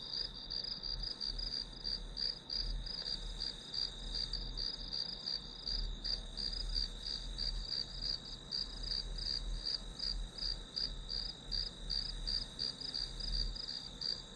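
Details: Continuous grass insect song used as white noise for studying: a piercing high trill made of fast, evenly spaced pulses that never pauses, backed by a quiet low-pitched hum.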